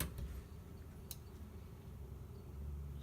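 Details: Low, steady indoor hum with a couple of faint sharp clicks.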